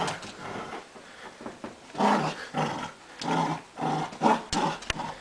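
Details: A small beagle and a wheaten terrier play tug-of-war indoors, giving a string of short, rough growling bursts about every half second to one second, with brief pauses between and a couple of sharp clicks near the end.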